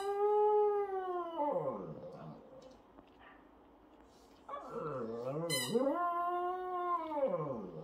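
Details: Shih Tzu puppy howling as if singing along with a baby, who seems to conduct: long drawn-out tonal howls rising and falling in pitch, a quiet gap midway, then a wavering howl with a brief high squeal.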